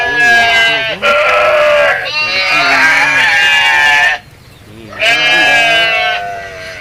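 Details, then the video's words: Goats bleating at feeding time in a village, a mix of big and small animals; long, loud, quavering harmonic cries lasting up to two seconds, overlapping, with a short quiet gap before another bleat. "Suara kambing lucu, funny goat sounds animal goat sound"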